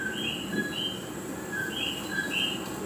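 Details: Common coquí frogs in Puerto Rico, recorded on a phone, give bird-like two-note "co-quí" calls, a lower note then a higher whistled one, repeated about twice a second by overlapping callers over a faint hiss.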